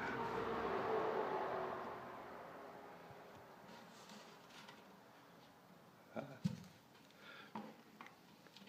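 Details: Faint indoor hiss and rumble fading over the first seconds, then a few soft clicks and knocks with no animal voice.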